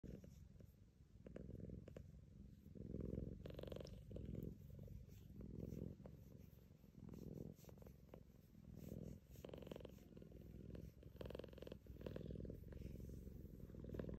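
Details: A blue-grey Scottish Fold cat purrs steadily, a low continuous rumble pulsing with each breath.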